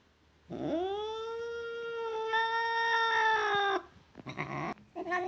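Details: A single domestic cat's long, drawn-out meow lasting about three seconds, rising at the start, then level and slightly harsh, followed by a few shorter, rougher calls.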